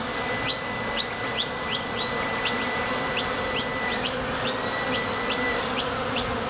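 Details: Honey bees at the entrance of a Top Bar Hive, leaving for the field to gather nectar and landing again; a dense, steady droning hum with short, bright ticks repeating about every half second.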